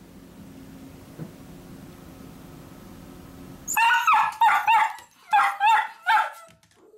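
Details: Miniature dachshunds at home, barking to go along as their owner sets off for work: a low steady hum, then a string of sharp, high barks in quick groups of two and three.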